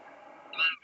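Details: An excited cow elk gives a sharp, nasal, rising mew as she looks behind her, seemingly waiting for others, possibly her calf, after a soft background murmur.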